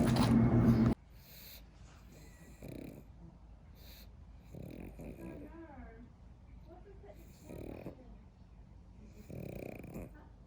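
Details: Pug sleeping after a bout of overboard playtime, snoring and snorting; a loud rough burst opens, then softer nasal snores come in short, irregular pulses every two seconds or so, with a brief wavering whine partway through.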